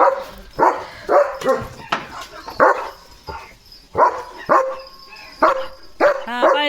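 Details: Leo, a German Shepherd, barks on guard at his gate as a herd of sheep passes by one afternoon; repeated sharp, loud barks about every half second, with a person talking nearby and a final whiny, higher yelp.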